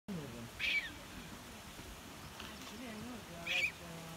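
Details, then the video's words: Syrian rock hyraxes, a social colony beside the trail to David Waterfall in Ein Gedi Nature Reserve, Israel, give two brief, shrill squeaking alarm calls a few seconds apart, likely at the people passing. "Syrian Rock Hyrax Calling in Ein Gedi Nature Reserve"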